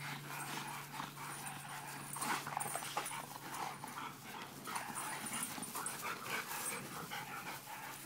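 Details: Three dogs, a Pit Bull, a Presa Canario and an American Bulldog, playing together; scuffling, panting and rough growly noises in bursts, with a steady low electrical hum underneath.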